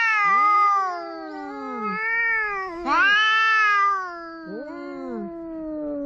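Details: Two cats quarrelling at the seaside, one of them a ginger cat: long, wavering, harmonic yowls that rise and fall, overlapping drawn-out wails with a sharp upward-bending cry near three seconds.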